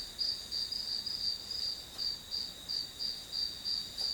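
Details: Grass insect calls for a one-hour study session, shrill high chirps spaced roughly three per second, slightly uneven, over a constant high-pitched insect drone.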